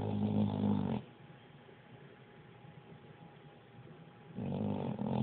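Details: Pit bull asleep indoors, snoring loudly: a deep rumbling, harmonic snore for the first second, a quiet pause, then another loud snore beginning near the end.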